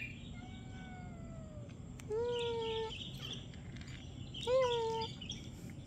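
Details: Cat out on the street giving three quiet, drawn-out meows, each holding a steady tone that sags slightly at the end, spaced about two seconds apart over a low, constant background hum.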